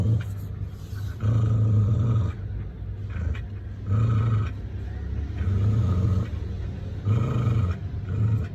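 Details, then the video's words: Dog growling to protect itself: deep, rumbling growls in bursts of about a second, repeated roughly every one and a half seconds, five bouts in all, with quieter low rumbling between them. "Dog making sound for protect itself"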